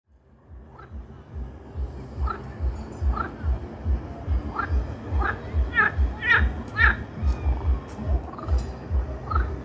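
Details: Frogs croaking in a chorus of deep, throaty pulses repeated about twice a second, building from quiet to loud, with brighter overlapping croaks from several callers.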